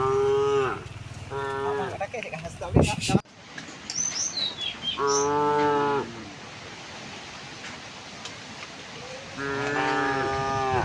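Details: Herd of tame cows walking cheerfully to pasture in the morning: three drawn-out harmonic moos spaced several seconds apart, with a brief clatter, a few high bird chirps and low rural background between calls.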